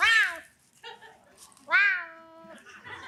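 A serval gives two clear, harmonic meows, the first short and falling, the second longer and drawn out.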